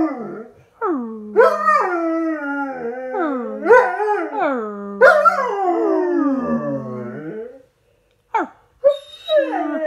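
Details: Miller the dog howls in a dramatic reaction after dropping his toy: a run of drawn-out, wavering, yodel-like howls that rise and fall in pitch, one after another, then a short silence and a few brief yelps.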